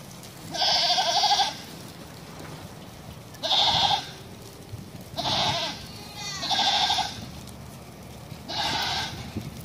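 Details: Bishi goats from a group of nineteen offered for sale, bleating five times in about ten seconds; each bleat is loud, harsh and nasal, lasting under a second, with gaps of one to two seconds and a faint background hiss.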